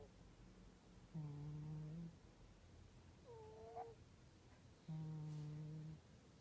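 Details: Sleeping cat snoring with a buzzy low drone on each breath, about one second long, plus a short rising squeak between the two droning breaths.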